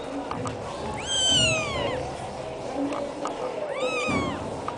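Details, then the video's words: Black kitten giving two drawn-out mews, the first long and falling in pitch, the second shorter and arched, against a constant low hum of room noise. "black kitten"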